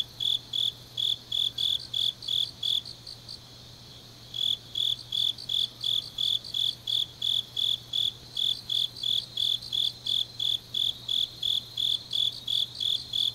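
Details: Grass insects on a deep autumn night in Changnyeong, South Gyeongsang, South Korea: steady high pulsed chirps repeated about three times a second, a brief pause near four seconds, other insects trilling faintly above, low steady hum beneath.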